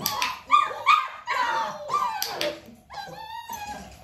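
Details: Nearly six-week-old Dalmatian puppies with mother Arya at a clicker training session: squeaky yips and thin rising whimpers in quick bursts, ending in a longer, level, tonal whine.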